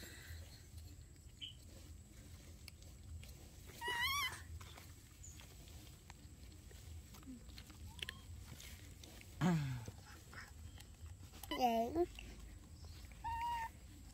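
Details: Baby monkeys Dorn and Dum at home: scattered wavering squeals and short chirps, one dipping downward into a low grunt, separated by quiet stretches with a steady low hum throughout.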